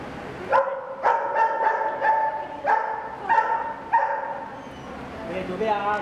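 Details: Greyhound, one of nine Irish-bred greyhounds sent to Macau in 2016. Series of short, sharp, ringing barks repeated roughly every half second. Softer, wavering yips follow near the end.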